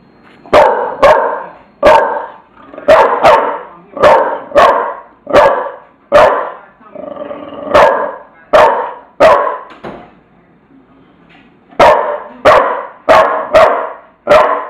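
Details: Tula, a bulldog, barks in bursts of sharp, mid-pitched woofs, often doubled or tripled, with a short pause near the ten-second mark before the barking resumes.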